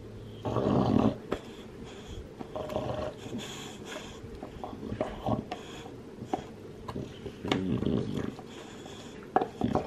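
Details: A two-year-old male lilac-tri Olde English Bulldogge gnaws on a bone, with uneven wet crunching and snuffling bursts close by.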